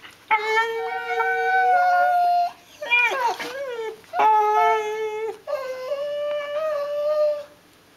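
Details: Six-month-old Border Collie sibling puppies play-biting, producing sustained high whining notes held for about two seconds each, three long drawn-out cries separated by brief gnashing, growly scuffles.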